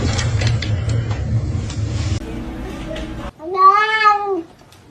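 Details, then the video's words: Kitten meowing: after about three seconds of low rumbling background noise and clatter comes a single clear, drawn-out meow that rises slightly and then falls, lasting about a second, followed by quiet. "kitten meowing call"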